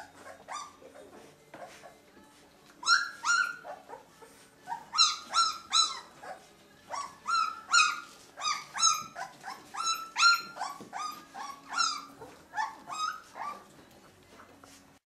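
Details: Two-week-old puppies from a litter of 13 born to Limit, whimpering in a rapid, uneven series of high, whiny yelps that rise and fall, growing louder midway, over a faint steady low hum.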